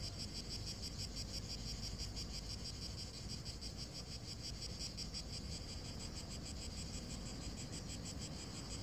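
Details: Cicadas chirring over a dry, sun-heated lawn: a dense, high, rapidly pulsing drone, roughly three pulses a second, holding constant throughout, with low background rumble underneath.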